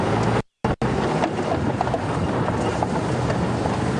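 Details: Steady rumble of a safari vehicle with wind buffeting, broken by a brief dropout; no animal voices heard.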